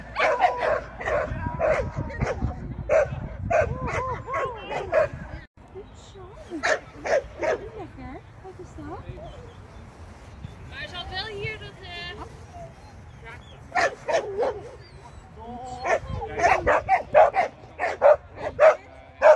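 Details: Shetland Sheepdog in training, 24 April 2023: bursts of quick barks mixed with whining, squeaky yips and human speech between them.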